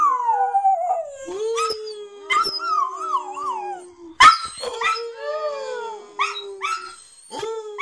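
Two West Highland White Terriers howl together, long wavering tones sliding up and down, with short yips between.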